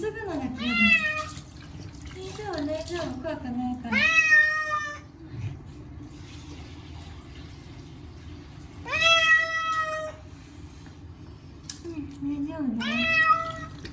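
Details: Loud protesting meows from Chacha, a short-legged Munchkin cat, during his yearly bath with catnip shampoo; long harmonic wails alternate with lower, shorter falling cries, with quiet pauses and a soothing human voice between.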